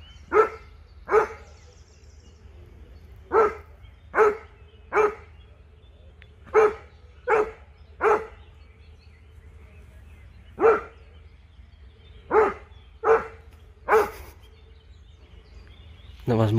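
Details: Dog barking outdoors as a Dobermann named Jeff meets a Fox Terrier; sharp, mid-pitched barks come singly and in quick pairs, about thirteen over the stretch with irregular gaps, against a low background rumble.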